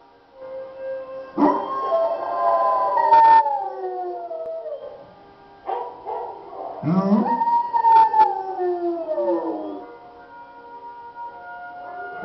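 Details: Domestic dog howling: long wavering cries that start high and slide slowly downward, in two main bouts with brief sharp clicks between them and a low steady tone beneath.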